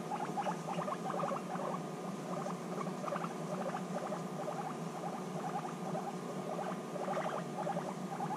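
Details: Intense bonding between guinea pigs reunited after six months apart; choppy pulsed rumbles repeat in irregular bursts against a low hum and room noise.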